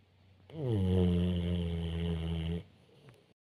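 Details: A pit bull snores while sleeping, a single long, deep, rumbling breath.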